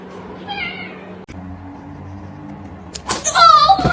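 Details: Kitten giving a short high meow, then a pause with a low steady hum before a louder, longer wavering meow at the end, broken by a few sharp clicks.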